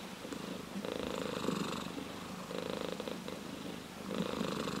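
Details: Purring orange tabby cat: continuous low vibrating rumble in alternating inhale and exhale phases about every second and a half, heard up close with no other sounds.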